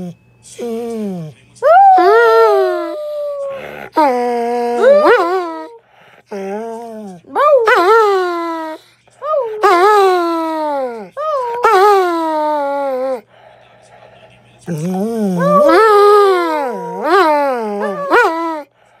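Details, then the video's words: Dog howling in a series of long, wavering, tonal wails that rise and fall, broken by short pauses, with a second overlapping voice at times. "Funny howling Dog"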